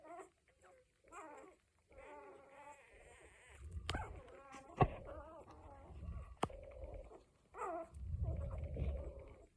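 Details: A week-old litter of Cocker Spaniel puppies whines and squeaks in brief, wavering cries, some rising then falling, with a few sharp clicks and low rumbling handling noise between the calls.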